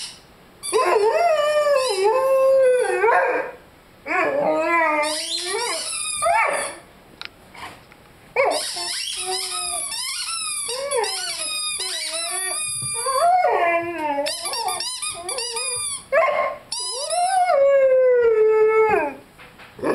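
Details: Lyle, a five-month-old Rhodesian Ridgeback, howls with his beloved squeaky chicken toy: a series of wavering, bending howls and yips broken by short pauses, ending in a long drawn-out howl that sinks in pitch.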